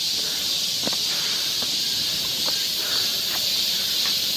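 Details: Summer cicada chorus on a forest trail in Seoul, Korea, a constant shrill buzzing wall of sound, with a few soft taps and what may be footsteps underneath.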